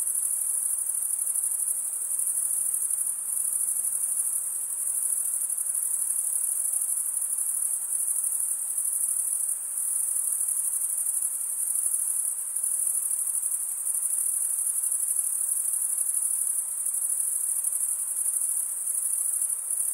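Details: Crickets chirping in a dense, unbroken high-pitched trill that holds steady at an even loudness for the whole stretch, with no other animals, voices or background sounds.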